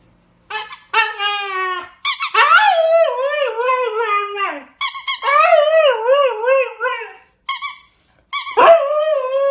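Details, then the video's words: Siberian Husky, a medium-sized working sled dog breed, gives several bursts of drawn-out, wavering yodel-like howls and whines. The pitch warbles up and down with rich harmonics, separated by short silences and sharp yips. "Собаки породы хаски"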